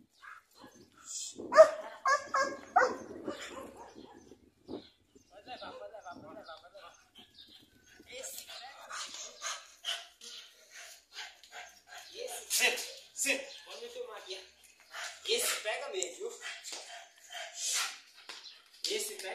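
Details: An 8-month-old Belgian Malinois gives sharp, broken barks and yelps mixed with a person's voice during its first attack/bite drive test, tearing a sandal from the handler's hand.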